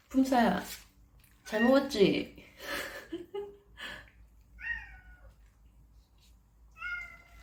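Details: Stray desert cat in Abu Dhabi at a Churu treat party: loud human speech for the first three seconds, then two clear, slightly falling meows about two seconds apart in a quiet room.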